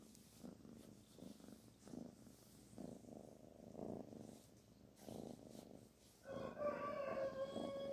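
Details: Kitten Barfi purring while being petted: a low, steady pulsing rumble for about six seconds. It ends in a louder tonal, harmonic call that holds a level pitch near the close.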